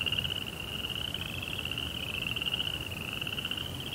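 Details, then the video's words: Crickets calling at night in a dense, unbroken high trill, the pitch stepping slightly up and down as overlapping callers blend, over a quiet hiss. "Cricket Sounds"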